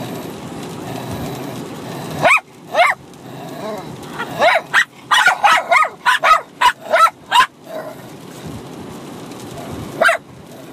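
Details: Bichon Frise dogs, a six-month-old puppy and an adult, barking at each other while play-fighting indoors; sharp high yips and barks in quick bursts, about a dozen between two and eight seconds, then one more near the end, over low background hum.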